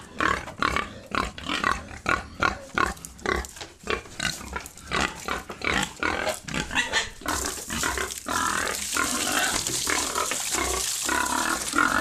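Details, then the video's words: Pigs on a farm in Assam, India, giving a rapid series of short, harsh grunts and squeals, roughly two or three a second, turning into a continuous noisy squealing din in the final seconds. "pig farm🔥 | Assam"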